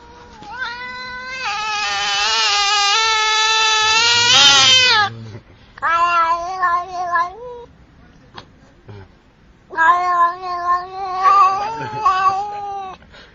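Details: Domestic cat giving a long, loud, drawn-out wailing meow lasting several seconds, then two shorter wavering meows after brief pauses, in a quiet setting.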